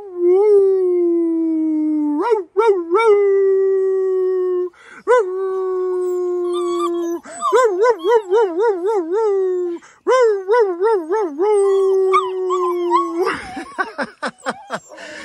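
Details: Several of ten black German Shepherd puppies, fed and content after supper, howl in long, wavering tones rising and falling in pitch, after their owner whistles to them, which they like.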